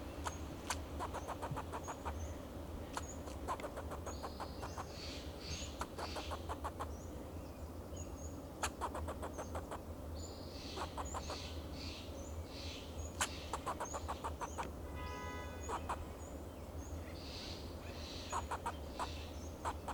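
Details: Fox squirrel on a Monterey pine in Del Monte Forest, California, giving alarm calls to protect itself and its territory: rapid bursts of dry, clicking barks repeated in volleys, with faint thin high whistles and a steady low hum.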